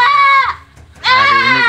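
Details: Boer goat kid bleating in a pen at a partner goat farm in Blitar, Indonesia: two loud, harmonic, nasal bleats, the first falling at its end, the second steady, with a short quiet gap between them.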